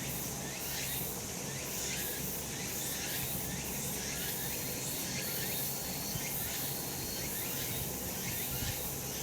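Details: Cicadas in the mountains on a summer day, sunny spot; a loud, sizzling high-pitched drone with soft rhythmic surges, over a low steady background rumble.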